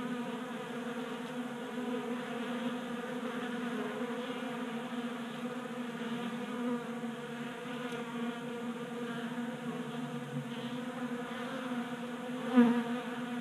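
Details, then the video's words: Several honey bees feeding from a 3D printed table-top feeder in a garage in Colorado in January; a constant low buzzing hum with stacked tones, and a short sharp click near the end. "45 Minutes of Honey Bees Feasting from 3D Printed Bee Feeder"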